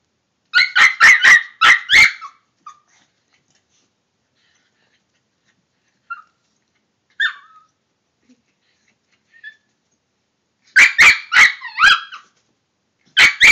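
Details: Toy Fox Terrier attacking an air freshener indoors: bursts of sharp, high yapping barks in quick runs of four to five, separated by long pauses with a few soft whines and squeaks.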